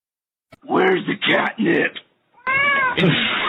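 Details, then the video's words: Kitten meowing indoors: a few rough, noisy vocal bursts, then after a short pause a clearer harmonic meow that bends up and down over about a second. "kitten meowing"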